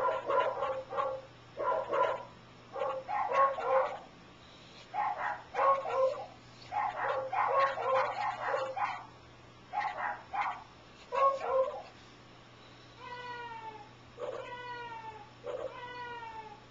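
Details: Wasabi, a dog reacting with a head tilt to weird sounds, gives a long series of odd, rough, yowling barks, often paired, for twelve seconds, followed by three smooth, falling, harmonic tones a second apart.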